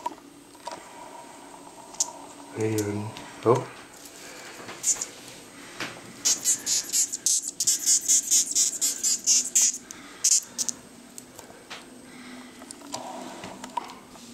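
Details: Acherontia atropos, the death's-head hawkmoth, recorded in Denmark, where no other moth makes sound; a low voice murmurs early, then a run of fast, high, clicking squeaks pours out in the middle before fading.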